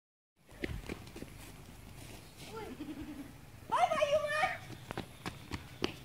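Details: Baby goat letting out one loud, wavering nasal bleat of under a second that quivers and slides downward, after a stretch of low murmuring voices and rustling, with a fainter thin cry just before it.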